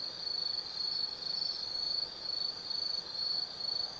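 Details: Autumn insects trill steadily at night in the Tsukimi forest, Kaizu, Gifu, Japan, from a 180 m lookout over the Nobi Plain; a high, continuous band pulsing gently in loudness.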